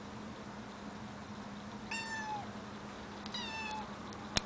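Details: Afraid of heights, a cat gives two drawn-out meows a second or so apart, each holding a level pitch then dipping at the end, followed by a sharp click, with a low steady hum underneath.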